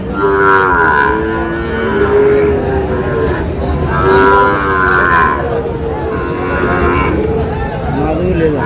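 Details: Sahiwal bull calves at a cattle market, bought by a farmer from Chittagong on 24 July: repeated drawn-out harmonic moos, several in a row with short pauses, over steady crowd chatter and market noise.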